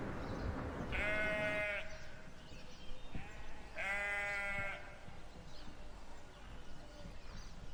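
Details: Sheep bleating twice, each a wavering, nasal call with rich harmonics lasting under a second, roughly three seconds apart, over a steady low background hiss.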